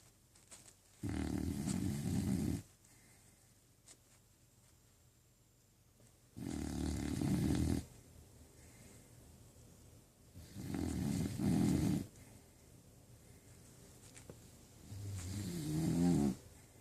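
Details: Sleeping dog, dreaming while snoring loudly indoors; long low rasping snores last one to two seconds each, spaced about four seconds apart with quiet breathing in between.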